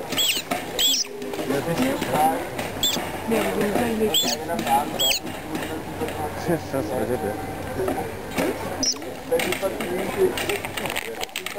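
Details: Two Asian small-clawed otters (Aonyx cinereus) at a zoo in Vienna on 28 April 2009 give shrill, rising squeaks in short bursts over a background of human chatter.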